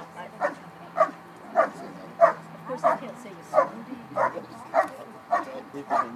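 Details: During a Schutzhund trial's bark and hold at the 2013 Schutzhund USA Nationals IPO event, a dog gives about ten loud, clipped barks at a steady rhythm, slightly uneven spacing, over a low hum of background noise.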